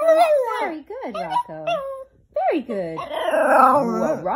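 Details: A Chihuahua whines at length, giving drawn-out, bending whines and yodel-like howls rather than sharp barks, while its owner coaxes it to say "I love you".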